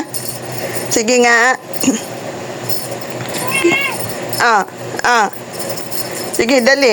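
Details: Talking cat giving several drawn-out, wavering meows that rise and fall in pitch, spaced a few seconds apart, with human speech and a faint jingling in between.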